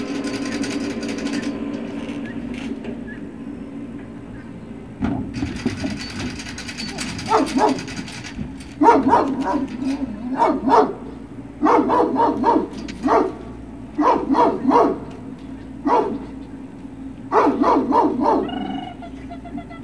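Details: Great Dane puppies at Puppy Hill, recorded 21 March 2019, giving a run of sharp, high yipping barks in quick uneven bursts after a quieter opening with a steady background hum.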